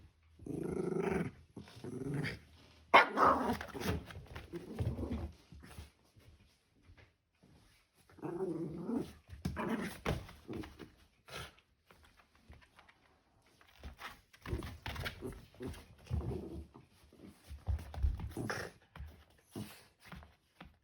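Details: Shiba Inu at home, overjoyed at the family's return, carrying a slipper to the carpet and shaking it hard; rough, low growls come in short runs of bursts with pauses between, in a small indoor room.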